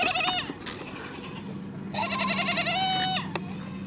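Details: Goats making strange bleating calls: a wavering, nasal bleat in the first half-second, then a longer strained bleat held for over a second, with a short sharp cry near the end and a low steady hum beneath.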